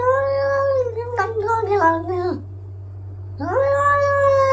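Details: Domestic cat in a funny cat compilation giving long, steady mid-pitched meows with rich harmonics, the middle one breaking into a wavering, falling yowl before a second drawn-out rising meow; low steady hum underneath.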